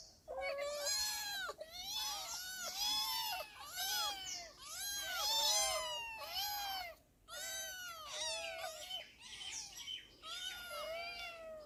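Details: Four cats meowing eagerly while being fed, dense chorus of short arched mews repeated in quick clusters, several voices overlapping, with one brief pause partway.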